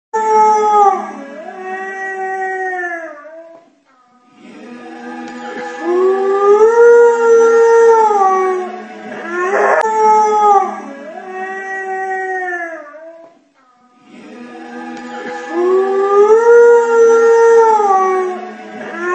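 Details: A Husky/Shepherd mix dog howls along whenever Dreamgirl by Dave Matthews Band plays. Long, drawn-out, wavering howls rise and fall in phrases of several seconds, with brief pauses between them and faint background sound.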